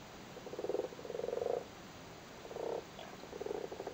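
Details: Frogs spawning in a flooded cattle grid in Cork, Ireland, give short purring croaks made of rapid pulses, in four bursts under a second each.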